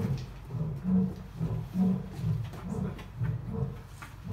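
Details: Captive Asiatic lion at Dublin Zoo giving a series of deep, low-pitched grunts, roughly one per second, each swelling then fading in a steady rhythm, with faint room-like background noise.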